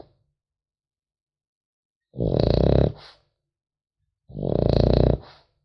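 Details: Two rasping, rattly snores from a sleeping French Bulldog puppy, each lasting around a second and fading with a soft breathy tail, roughly two seconds apart in an otherwise silent room.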